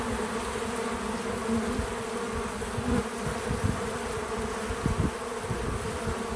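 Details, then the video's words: Many bees at a feeder, filmed outdoors on a small farm, make a continuous low droning hum; brief louder buzzes pass close around the third and fifth seconds over the steady swarm noise. "Relaxing Bees at the Feeder 🐝 | Natural Buzzing Sounds"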